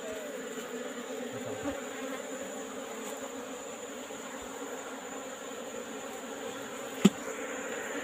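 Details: Wild Asian honey bees (Apis cerana) nesting in a rock cavity, heard in the afternoon while the colony is taken. A constant humming buzz runs throughout, with a sharp single click near the end.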